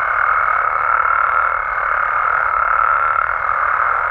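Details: Mexican frogs and toads calling at night in a thick, continuous chorus, a steady buzzing drone with a faint higher whine running beneath it throughout.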